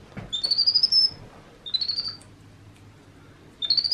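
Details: Pet baby monkey Happy at play in his playroom gives three high, rising, warbling whistles, each under a second, spaced by pauses of about a second and a half, over faint indoor background.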